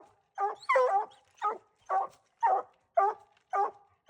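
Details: Dogs hunting raccoons give repeated barks and bawls, one call roughly every half second, some longer drawn-out notes among the shorter barks.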